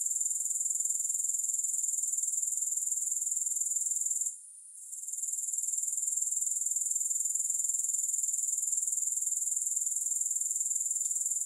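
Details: Steady high-pitched grasshopper buzzing, recorded with no music. Rapid regular pulses, about four per second, cut out for half a second partway through and then return, with a faint click near the end.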